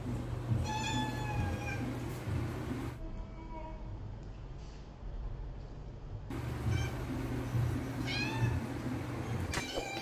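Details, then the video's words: Megan, a female pet cat, wanting her food container opened, gives several meows, a long level one early, then shorter rising and wavering ones later, against a steady low background hum. "My cat longest meow"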